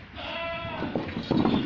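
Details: Goat bleating on a farm, one wavering, harmonic bleat lasting about half a second, followed by shuffling and faint human voices.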